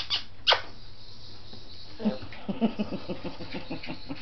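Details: Seven-week-old Scottish Terrier puppies at play: two sharp knocks open, then a rapid run of short, low grunting yips and growly bursts fills the final two seconds.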